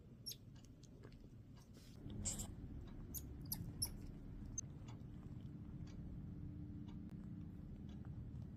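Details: Wynstan, a pet Midas tamarin weighing a little over 1 lb, gives scattered, very high, thin chirps over a low indoor hum.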